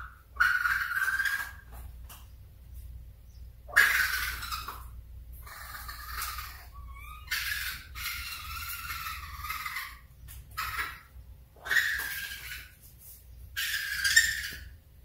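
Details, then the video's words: A baby raccoon gives harsh, raspy squealing cries in bursts a second or two long. "Baby Raccoon Sound"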